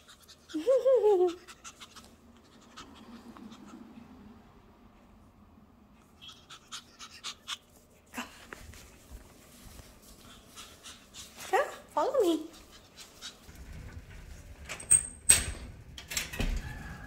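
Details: Toby the little Shih Tzu indoors makes a pair of arching, rising-then-falling whiny vocalisations near the start and again about twelve seconds later, with soft panting, scuffing and a person's voice between.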